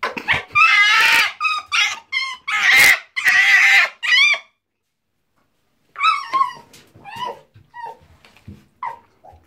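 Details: Tiki, a female pet fox kept indoors, defends a bar of soap she found in the bathroom. Loud, harmonic whining yelps come in rapid bursts for four seconds, then pause before a quieter run of shorter rising cries.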